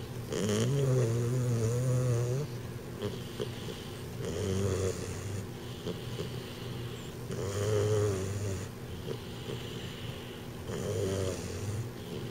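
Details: Snoring from Dr. Timothy Stuart, a 12-week-old American Bulldog puppy with a big overbite; deep, rumbling, rattling snores swell and ebb in a regular cycle about every three to four seconds while he sleeps.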